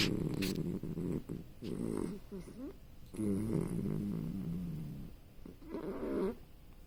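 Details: A puppy asleep and snoring: low, rasping, droning breaths that rise and fade in uneven waves, with short quiet gaps between them.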